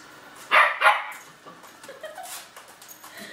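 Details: German Shepherd puppy frightened by a robotic vacuum, giving two quick sharp barks followed by quieter scuffling and faint vocal noises indoors.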